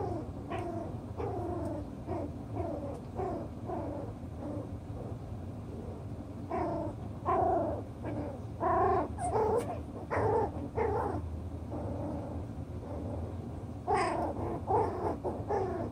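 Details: Playing Toy Poodle puppies, chocolate brown and six weeks old, settling their pecking order over toys; a long series of clipped, high yips and whiny squeals comes in uneven clusters, with a constant low rumble beneath.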